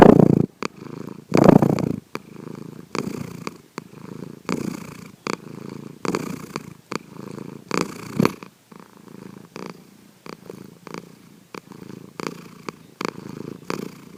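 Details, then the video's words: Sankichi, a house cat, snoring in his sleep, quietly recorded: a long series of soft rumbling breaths at about forty-five per minute, strongest in the first two seconds, then steadier and quieter, punctuated by small ticks. "三吉のいびき Our Cat, Sankichi snoring."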